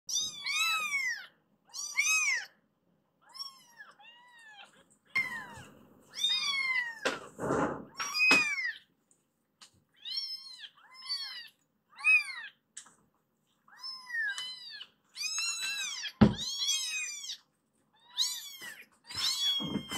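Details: Several rescued foster kittens indoors meowing to be let out of their room onto the sofa; many high, arched meows in quick overlapping bursts with short pauses, plus a couple of dull thumps.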